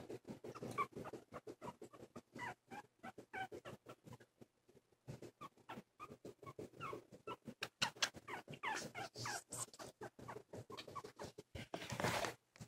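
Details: Two silky terrier puppies, 2 1/2 weeks (19 days) old, eyes recently opened, taking wobbly first steps indoors; thin high squeaks and whimpers come in scattered bursts over steady scratching and pattering of paws, with a fuller squealing run near the end.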